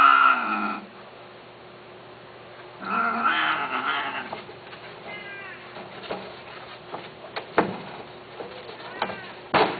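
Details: Cats on an Arabic pet forum: two clear meows, one at the start and a longer rising-falling one about three seconds in. Faint chirps and scattered clicks and knocks follow.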